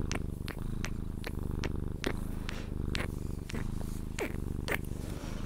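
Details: Sphynx cat purring while being cuddled, drifting toward sleep: a steady low rumbling purr pulsing in rhythm with its breathing, broken by sharp kissing smacks and clicks about every half second.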